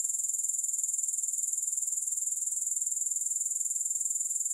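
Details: Steady high, thin buzzing trill of grasshoppers, finely pulsed at a constant rapid rate and running without a break; no music or other noises.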